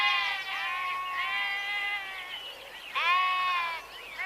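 A sheep gives long, wavering, nasal bleats, a drawn-out one followed by a shorter second cry.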